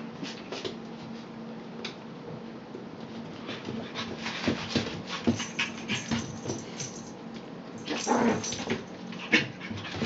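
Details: Poodle puppies whimpering and yipping amid scuffling and clicking movement noises, with a louder cluster of cries near the end and a steady background hum.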